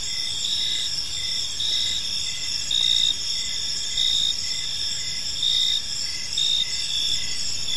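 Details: Crickets chirping in a park in the evening: steady high ringing trills overlaid with short pulsed chirps repeating roughly every second, louder bursts at intervals, no other clear sounds.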